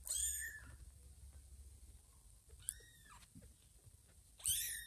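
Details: Two-week-old kittens whose eyes have just opened, seeking milk from Ginger instead of their mother Lima: three piercing high mews at the start, middle and end, with soft rustling and low noise between.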